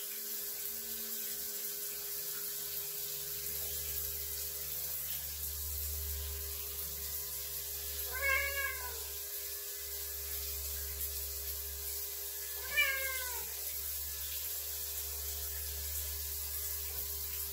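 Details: A male Ragdoll cat at the bathroom door gives two drawn-out, rising-then-falling meows for attention while the owner showers, with steady shower hiss; he dislikes the shower and keeps meowing until the door opens.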